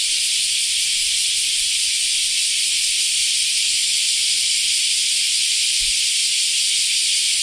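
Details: Common cicadas (semi) in Japan in summer, after the rainy season has ended, fill the air with a continuous, harsh, high-pitched buzzing drone.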